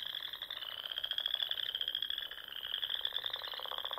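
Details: Frogs singing in spring at dusk among the ponds and small lakes of the Sandhills dunes in Nebraska: a dense, continuous high trilling chorus of many callers with a steady pulsing texture and lower croaking underneath.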